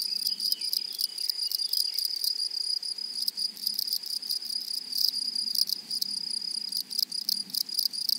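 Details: A flowery meadow rings with grasshoppers. A steady, high tone carries throughout, broken by loud clusters of rapid, dry, rattling pulses in quick irregular bursts.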